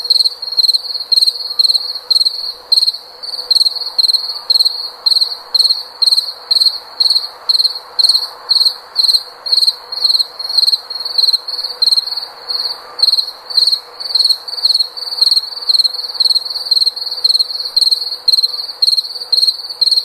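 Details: Cricket calling continuously in a high, pulsing chirp, bursts repeating roughly twice per second with a steady hum of background noise.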